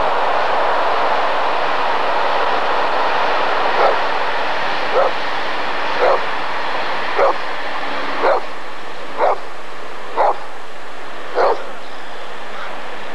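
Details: Rottweiler from the 1994 ADRK Körung breed survey barking in a steady series, eight clipped barks about one per second after a quiet start, set against a constant broad rumble of background noise.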